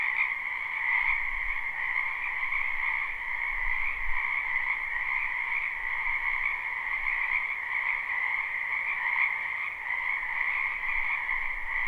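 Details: A wetland in spring rings with a massed frog chorus, taped live, not looped: continuous high trilling over a lower pulsing layer, even and unbroken, with a few soft low thumps underneath.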